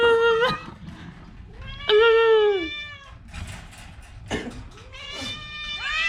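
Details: Orange cat suffering from a cough and cold makes loud, plaintive meows that fall in pitch at the end, with quieter breathy sounds and clicks between calls.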